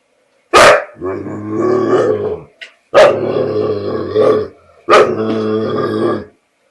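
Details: An adult American Bulldog, scared to take back his bottle from a Border Collie, makes three drawn-out, wavering, growly moans, each opening with an abrupt yelp and lasting over a second.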